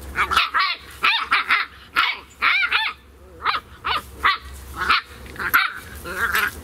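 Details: Two 11-week-old Beagle puppies, Spot and Panda Bear from SouthEast Beagle Rescue, at play: a rapid, uneven series of high, sharp yips and barks, often in quick pairs, continuing throughout against a low hum.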